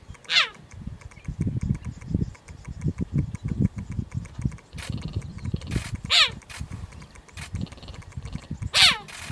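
A cheetah gives three high, bird-like chirps that sweep sharply downward, spaced several seconds apart.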